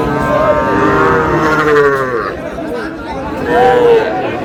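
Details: Sahiwal bull at a Comilla farmer's purchase, 25 April: two long, buzzy, harmonic moos, the first sagging in pitch and the second rising then falling near the end, over continuous people talking.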